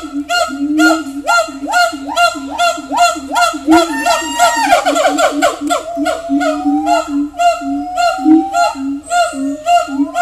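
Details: Siamang (Symphalangus syndactylus), call.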